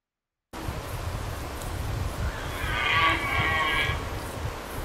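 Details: Lone red deer stag during the rut on Hiiumaa in 2019, calling out loudly in solitude: after a short silence, one drawn-out harmonic wailing call rises over a low rumbling background.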